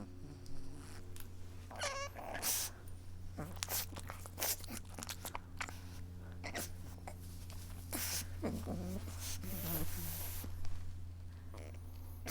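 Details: Adorable pug weeping: a pug dog indoors gives short high whimpers and whiny squeaks in scattered bursts, with snuffling and rustling noises over a steady low electrical hum.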